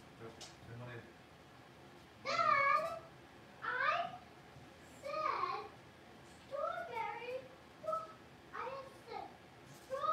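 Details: Six-week-old blenheim Cavalier King Charles Spaniel puppies from a litter of five, in an indoor home puppy pen, give high tonal whines, each rising then falling, in six separate bouts roughly every one to two seconds over a quiet room.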